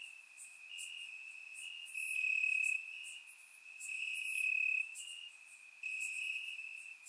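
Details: Warm summer night in Bulgaria with crickets in the grass: one steady high trill, joined by louder stretches of intense chirping lasting about a second each, then quieter gaps. Recorded with a surround microphone.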